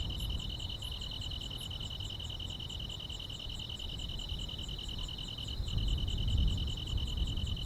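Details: On a quiet country summer night, grass insects keep up a dense, fast, bead-like trill in two close high bands, about four pulses per second. Sharper high ticks sound above, with a low background rumble throughout.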